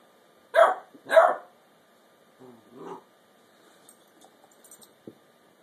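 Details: A 10-week-old female basset hound puppy demands her bone from her older sister dog. Two loud, sharp barks come half a second apart, then a softer, lower grumbling yip, followed by quiet rustling.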